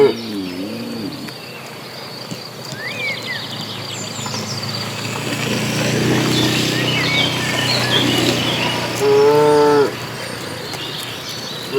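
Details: Herd of dozens of cattle being driven to green pasture; a short wavering low call opens, rustling movement noise fills the middle, and a clear, steady harmonic moo sounds near the end over faint birdsong.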